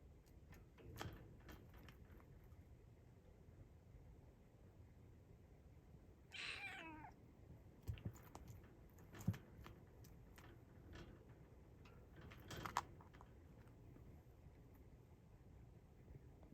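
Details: Formerly rescued kitten trying hard to grab a strap through its cage lets out one drawn-out meow near six seconds, amid clicks, taps and rustling in a quiet room.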